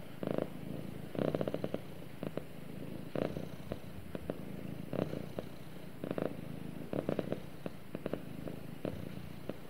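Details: Cuddling house cat purring contentedly beside its owner, a low vibrating drone that swells in short rhythmic surges at uneven intervals, close and quiet, with nothing else audible.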